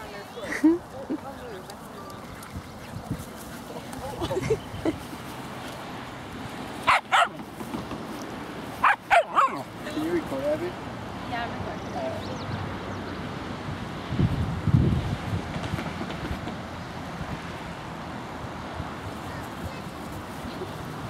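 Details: Two young dogs playing at Laguna Beach dog park, seven-month-old Margo with a four-month-old Husky puppy, give a few sharp barks in clusters near the middle, over steady outdoor hum and voices.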